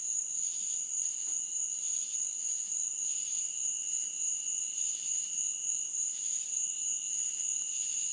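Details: Insects chirp in a steady night chorus in a meadow, with high, continuous trills layered over one another.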